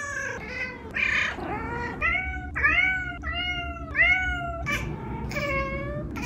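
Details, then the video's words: Pair of talkative house cats calling indoors: drawn-out, arching meows about every second, several flat and nasal, one rougher at the start, over a faint low background hum. "Living with 2 vocal cats!"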